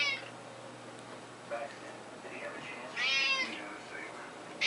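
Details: Pet cat, a male, meowing indoors while being fed a fishy treat late at night: a brief high meow at the start, a soft one midway, then a loud drawn-out meow, with faint room noise.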